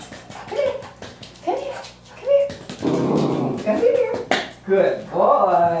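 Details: A Norfolk Terrier puppy playing fetch at a boarding kennel gives short, wavering "wooo" whines and grumbles while a person talks nearby.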